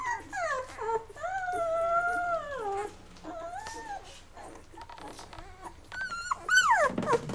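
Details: Labrador Retriever puppies, Mocha's litter at day 11, between feeding and sleep. Loud, drawn-out whines glide up and sag down, some held for over a second, ending in a steep falling squeal.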